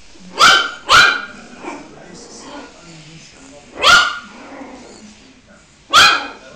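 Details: Puppies barking: bright, high yapping barks, a quick pair at the start and single barks near four and six seconds, with chatter and background noise between.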